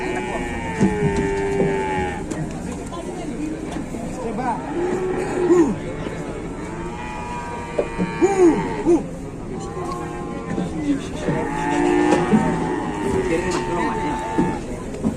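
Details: Cattle lowing around a cow caught and wedged fast in Indonesia; several long, harmonic moos come one after another, some wavering in pitch, over murmuring voices and faint music.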